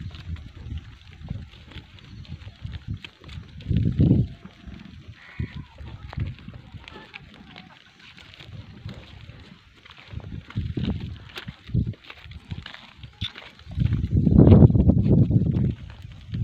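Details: Sirohi goat kids with a female goat; hoarse bleats rise out of low rustling background noise, one near four seconds and a louder, longer one close to the end.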